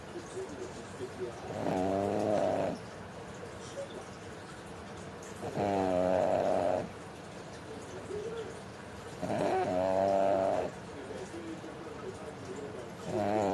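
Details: Mame, a pug in deep sleep, snoring: three long raspy, droning breaths about four seconds apart, each lasting around a second with a nasal, wavering tone, separated by quiet pauses.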